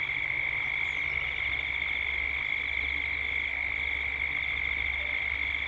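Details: Gippsland, Australia at dusk: cicadas keep up an even high-pitched drone with a fluttering upper band, and a soft low hum runs throughout.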